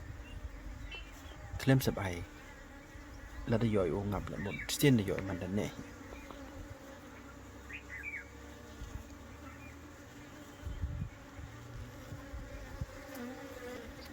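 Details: A swarm of Western honey bees (Apis mellifera) being captured and put back into a hive gives a steady, low droning hum, broken by handling noises and a voice.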